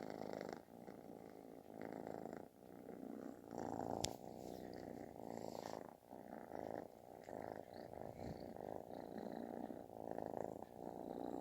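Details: Loud purring from a kitten that sounds like snoring as it asks for attention; dense throbbing rumble in long breath-length phrases, one sharp click near the middle.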